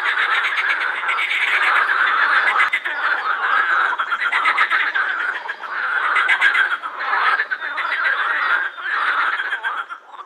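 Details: A loud chorus of edible frogs (pond frogs) at the Krebsenwasser in Vienna's Prater, rattling and croaking together in a steady, pulsing wall of sound while calling with their vocal sacs.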